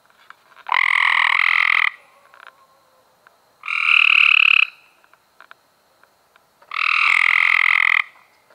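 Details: Cope's gray treefrog, May 2016, calling three times, roughly every three seconds; each call is a loud, coarse, fast-pulsed buzzing trill of about one second, with a few faint clicks between calls.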